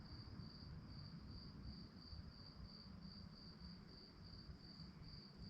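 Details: Night-time crickets giving a continuous high-pitched pulsing chirp, evenly repeated several times a second, over a soft low background rumble.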